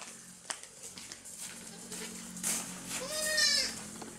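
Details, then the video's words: A baby goat at play on a farm utters one short, high, quavering bleat near the end, after a stretch of faint rustling and background hiss. "Cute Baby Goats playing and Jumping in my Farm"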